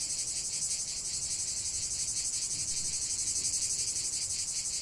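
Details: Continuous cicada song outdoors: bright, hissing high buzz beating in quick regular pulses, roughly three per second, filling the whole stretch with only a soft low hum underneath.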